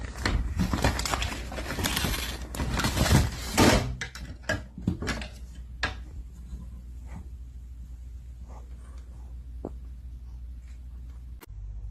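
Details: Indoor clatter of doors and drawers in a small room, loud and busy for the first four seconds, then quieter scattered knocks and clicks.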